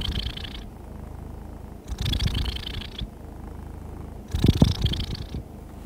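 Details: Persian cat. A contented Persian cat purrs in a deep, continuous rumble. Each breath brings a soft, airy swell to the purr, repeating every couple of seconds in an easy, relaxed rhythm.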